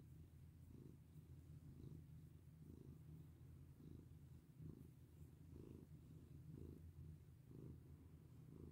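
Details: Cat purring as it is petted, a deep continuous rumble that swells gently about once a second in rhythm with its breathing.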